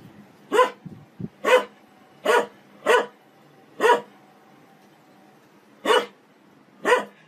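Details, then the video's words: A domestic dog barks sharply and singly, seven times at irregular gaps of roughly one second, with a long pause midway and a faint soft grunt near the start. From a funny dog barking compilation. "Funny dog barking videos compilation"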